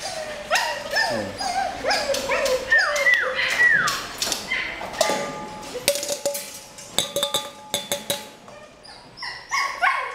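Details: Purebred female Rottweiler in Pleiku, Vietnam, giving a run of falling, whistle-like yelps and whines about once a second, then sharp clicking knocks and brief high yips, with faint music behind.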